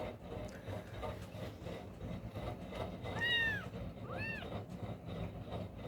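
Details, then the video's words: Very young kittens with closed eyes, hunting for their mother's milk, give two clear rising-then-falling mews about a second apart. Low household rumble and faint noise run underneath. "Finding mother Milk crying loud Very Cute juvenile Kittens."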